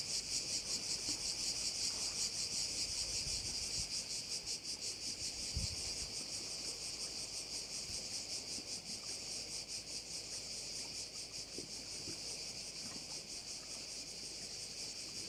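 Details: Cricket chorus over a bay on Korčula, a continuous shrill buzz beating in rapid regular pulses, slightly fading toward the end, with faint low wind or surf rumble beneath.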